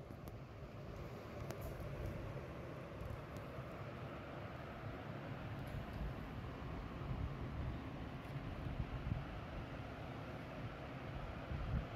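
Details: Continuous low rumble like a passing vehicle, with a few faint clicks scattered through it.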